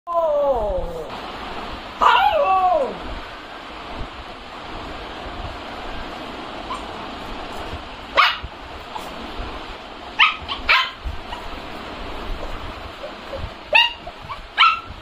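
A Siberian Husky gives wavering, sliding howls and yips, asking for food.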